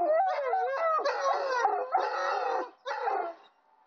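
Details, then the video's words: Wolfhound howls in broken, quavering phrases with sliding pitch, separated by short gaps, then fades into near silence at the close. "wolfhound howling"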